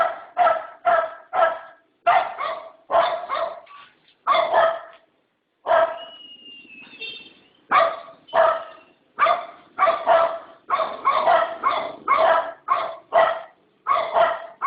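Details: Dog giving loud, clipped barks, singly and in fast doubles and triples, broken midway by a thin, drawn-out whining tone before the barking resumes steadily.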